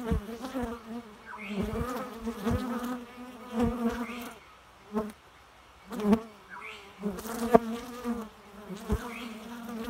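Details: Close, continuous droning buzz of a bee that rises and falls in loudness, with several brief lulls and scattered sharp tapping clicks.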